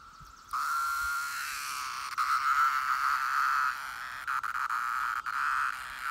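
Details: Brood IX periodical cicadas fill the air with a steady, droning buzz that swells and wavers slightly.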